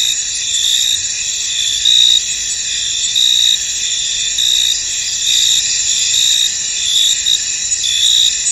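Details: Many crickets chirping in a misty field, high shrill trills layered densely, with louder bursts swelling about every second and a steady ringing drone beneath.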